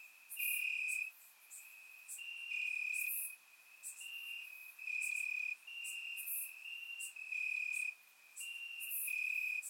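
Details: Night chorus of crickets in Bulgarian grass on a warm summer evening, surround microphone; loud trilled bursts about a second long alternate with quieter stretches, a bright high buzz running throughout.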